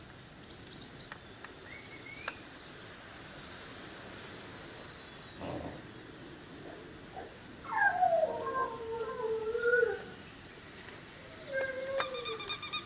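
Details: Female Cane Corso, five to six months old, gives a long drawn-out whine that slides downward with rich harmonics, then a shorter falling whine near the end; faint high chirps and light background noise throughout.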